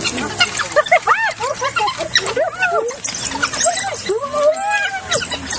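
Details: Squeaky chirping from African wild dogs, a quick run of short arched squeals at first, then a longer drawn-out whining squeal near the end, with softer twitters between.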